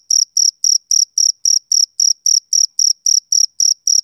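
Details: Summer-evening chirping of a male cricket: fast, evenly spaced high-pitched pulses, roughly three and a half per second, clean and uninterrupted against silence.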